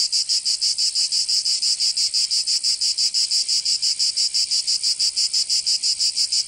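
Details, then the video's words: In summer in Provence, southern France, cicadas produce a shrill, high buzzing song in very regular rapid pulses, about three per second, continuous and steady throughout. "Canto Cigarra 🦗 [ Escuchar les cigarras en verano 10 H]"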